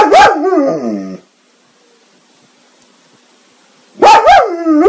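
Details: Drawn-out bark that bends upward and then slides down into a whining tail, followed by silence and then two more quick, high-pitched, yelping barks from the dog.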